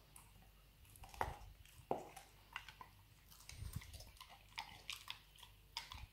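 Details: Nero, a pet Labrador Retriever, gnawing a dried beef rawhide bone indoors: irregular wet crunches and clicks, with two sharp louder bites near the start, then a quick patter of smaller snaps.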